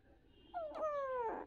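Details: Playing kitten giving a single drawn-out meow, about a second long, tonal and sliding gently downward in pitch with clear harmonics, ending in a short rougher burst; quiet background.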